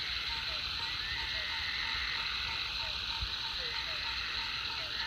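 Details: After a heavy rain, frogs at the Food Lion pond keep up a loud, unbroken high chorus; rapid regular pips run through it, with a few short falling croaks and a low rumble in the background.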